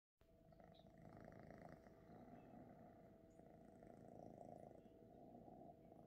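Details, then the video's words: Male Ragdoll kitten purring while kneading, making biscuits: a steady low rumbling purr running continuously through the clip, with dense pulsing energy below a faint upper band and no other clear sounds. "Our Cute Ragdoll Kitten boy- making biscuits - Kitten Purrring"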